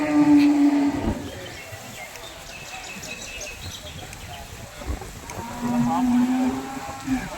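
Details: Young water buffalo at Chattiparamba cattle market, lowing in two flat, steady low moos, one at the start and a longer one near the end, with distant chatter and market noise between them.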